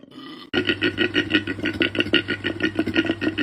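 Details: Koala calling, a sound used to talk to other koalas or to attract a female's attention. After a short quiet start comes a harsh, rapid grunting series of rough, belching pulses, about three per second, steady and loud.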